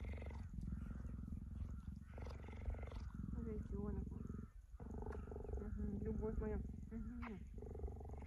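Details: Pet cheetah lying with its owner on a plaid blanket, purring in a low continuous pulsing rumble. A woman talks affectionately over it throughout, her voice rising and falling above the purr.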